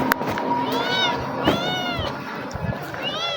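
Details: Kittens that have befriended a person and run to them on sight, meowing in a series of high, arched, harmonic-rich cries with short gaps, mixed with a man's coaxing voice and background music.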